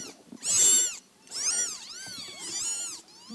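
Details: One-month-old Scottish Fold kittens, a litter born to a household cat, meowing in high, arched, harmonic-rich cries, several overlapping calls about once a second, with faint rustling in the background.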